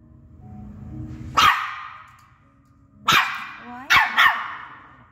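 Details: Chihuahua barking: a sharp, high single yap, then after a pause a bark with a short whine and two quick yaps close together, with faint music and low background noise at the start.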